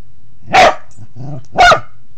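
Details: A Pembroke Welsh Corgi under a bed gives two sharp, loud barks about one second apart, with a short low growl rumbling between them in a quiet room.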